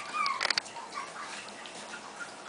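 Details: Five-week-old Havanese puppies indoors, one giving a brief thin whine that rises and falls, followed by a few soft clicks and light rustling against a quiet background.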